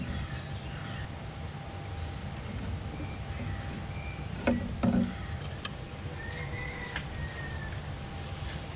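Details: Emperor marmosets during enrichment, working out how to reach worms given as a dessert; high thin whistled chirps come in quick repeated series, with a low steady hum, a couple of louder knocks midway and a faint constant tone throughout.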